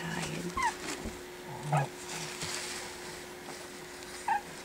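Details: Pekingese puppies, four weeks old, at play indoors after their meal: brief bent squeaks, several sharp down-slurred whines spaced a second or more apart, with a human voice murmuring faintly underneath.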